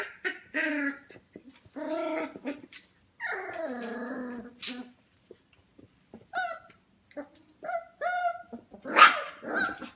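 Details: Twenty-five-day-old F1 Goldendoodle puppies at home late at night, near 11 pm: overlapping whimpers and drawn-out falling whines with rich harmonics, broken by brief silences and ending in a sharp, loud squeal.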